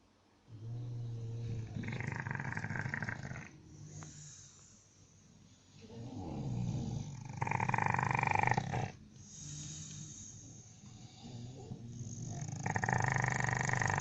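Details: Bulldog snoring loudly, a heavy rough rasping in long breaths of about one to two seconds separated by quieter pauses, low rumbling underneath with brighter noisy bursts on each intake.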